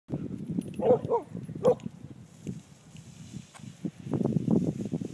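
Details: Dogs playing together: three short, tonal yelping whines in quick succession near the start, then rustling, scuffling play noise and low thumps for the rest of the clip.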